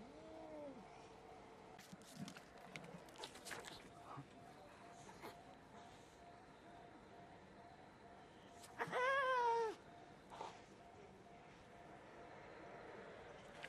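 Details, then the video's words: Cats fighting over territory: brief arched yowls at the start, scattered clicks and scuffling, then a loud wavering harmonic yowl lasting under a second, with quieter noises after. "Epic Cat Battle Videos, Cat Fight"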